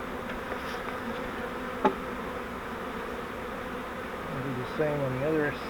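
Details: Captured honeybee swarm from a bait-hive swarm trap, transferred to a Langstroth hive; a continuous low droning hum of many bees, broken by a sharp tap near two seconds and a brief human voice near the end.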